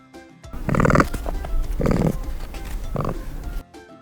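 Capybara giving three low, rough grunting bursts about a second apart, over soft background music.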